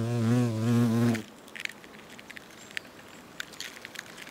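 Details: European hornets doing trophallaxis, sharing food at the nest in South Moravia, Czechia, in August 2024: a loud, deep buzz for about a second, then it cuts off, leaving faint clicks and quiet background.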